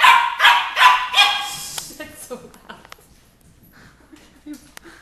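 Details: Nine-week-old red Doberman Pinscher puppy barking at a 2-litre bottle: three quick high yaps open, then fading to soft rustling and faint small noises.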